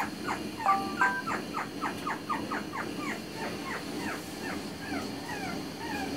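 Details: Pomeranian puppy giving a rapid run of high, downward-sliding whimpering yips, several per second, over a steady low hum.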